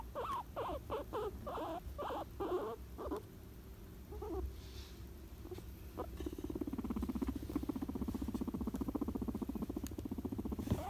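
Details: Pet guinea pig during a nap: a quick series of short squeaky chirps in the first three seconds, then a soft, steady, rapid low pattering throughout.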